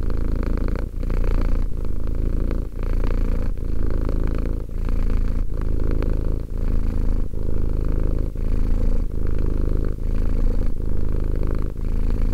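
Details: A two-year-old house cat purrs continuously, a soft low-pitched rumble pulsing in regular breath cycles near one per second with tiny pauses between, quiet room otherwise.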